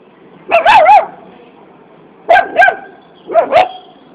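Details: Puppy asking for a biscuit, giving three bursts of paired high-pitched yipping barks spaced about a second and a half apart, each bark with a slight wavering tone.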